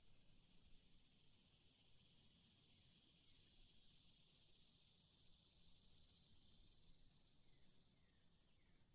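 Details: A male cicada sings in the hot season, a steady, high, hissing buzz that holds without a break throughout.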